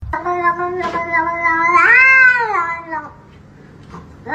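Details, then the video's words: A domestic cat 'talking' indoors: one long drawn-out meow lasting about three seconds, held steady, then rising and falling in pitch before fading, with a faint short sound at the end. "funny cats talking"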